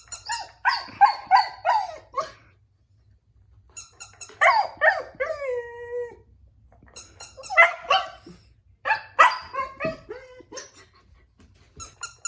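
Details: Husky puppy crying at a baby toy, giving loud yelping barks and drawn-out falling howls in bursts separated by pauses, with a toy's chiming melody sounding in between.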